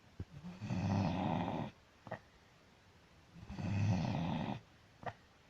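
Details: Dog snoring; two long, deep, buzzing rumbles about three seconds apart, each followed by a short sharp click of breath, with near silence in between.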